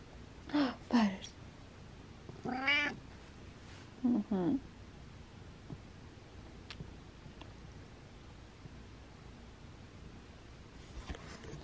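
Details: Domestic cat meowing while rubbing on the camera indoors: three short meows within the first five seconds, each rising then falling, followed by quiet with faint taps.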